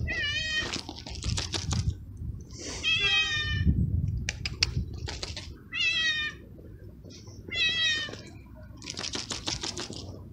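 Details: Two stray kitten brothers, one black and one gray, outdoors on a cold, windy day while waiting to eat, give repeated high, harmonic meows, about five in ten seconds, over low wind rumble and clicking sounds.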